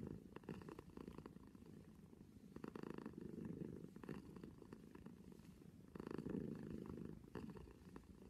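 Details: Close, continuous purr from a cat: dense low vibration rising and falling in breath cycles about every two seconds, with brief brighter rustles between swells, otherwise quiet.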